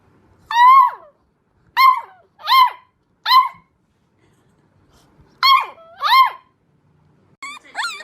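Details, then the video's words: Puppy giving short, sharp, high yips in small bunches with clear silent gaps between them, about seven yelps in total, in a quiet setting. "sonidos de cachorros // sons de chiot // puppy sounds"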